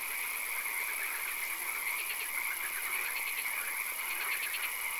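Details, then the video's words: Night-time swamp with frogs: clusters of quick pulsed croaks, more frequent in the second half, rising out of a dense chorus and a steady shrill hum. "Frog Calls, Swamp Sounds and Occasional Rain"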